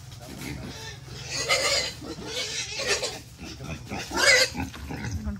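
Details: Wild boar raised in captivity for 11 months on grass, vegetables and cold rice, being caught to be weighed for sale; harsh, broadband squeals burst out three times, with people talking nearby.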